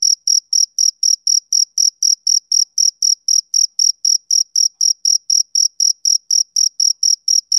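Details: Male cricket on a summer evening producing a continuous series of sharp, high chirps at about four per second, strongly rhythmic and uninterrupted.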